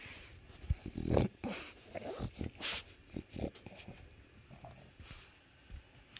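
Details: French Bulldog indoors, vocalising as its owner puts on shoes to leave the house, launching into affection to be taken along. Short snorting grunts and throaty noises in bursts, with rustling and the owner speaking.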